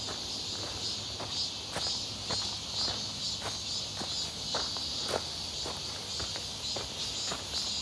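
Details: On a walk near Seonbawi on a sunny, hot 1 August 2023, cicadas fill the air with a continuous high, hissing buzz while footsteps tap out a steady pace underneath.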